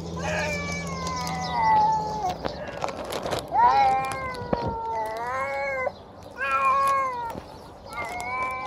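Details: Hungry feral stray cat being fed, producing a run of strained, wavering meows and caterwaul-like cries, several long drawn-out calls with brief gaps, clicks and handling noises in between.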